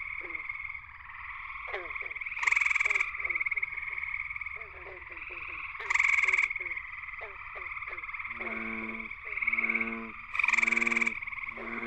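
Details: Male gray treefrog (Hyla versicolor) singing at night from low willow branches at the water's edge of Cool Pond, West Virginia, in a frog chorus. Loud pulsed trills come roughly every four seconds over a steady chorus hum and short chirping notes.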